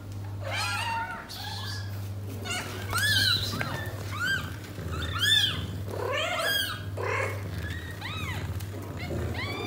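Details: House cats indoors: a mother cat born to a stray, with her six newborn kittens, as she struggles to find a comfortable spot for nursing. Many high, thin, arched mews overlap rapidly throughout, with a low steady hum beneath.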